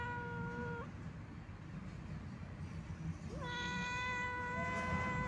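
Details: Sad old wandering domestic cat, the tail of one meow followed after a pause by a long, loud, level meow that begins with a brief upward slide, set against constant low-pitched background noise.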